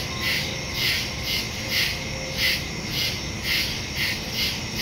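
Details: Woodland crickets at night, recorded on September 2 with a smartphone and stereo mic; loud shrill chirps pulse just under twice a second above a constant high buzz and soft background rumble.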